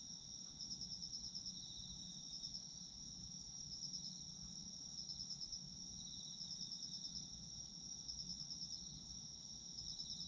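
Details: Autumn insects in Japan in a dense night-style chorus. Steady high shrill trilling holds throughout, with brighter pulsed chirp bursts every one to two seconds layered on top and a faint low rumble beneath.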